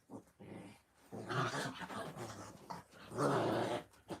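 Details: Playing puppies growl and grumble in rough, harmonic bursts. One bout swells near the middle and a louder, longer one follows after a short lull, with lower, scrappy growls between them.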